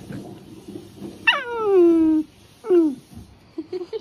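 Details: Dog whining with two high, drawn-out whimpers that slide downward in pitch, the first lasting about a second and the second shorter, over faint room noise.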